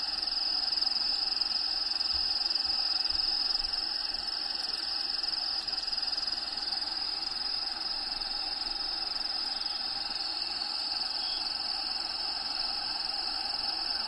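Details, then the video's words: High shrill cricket trill from within a bearded dragon's vivarium, home to Diego, beating steadily about twice a second against a layer of habitat background sounds, with a few brief low knocks early on. "RELAXING SOUNDS CRICKETS"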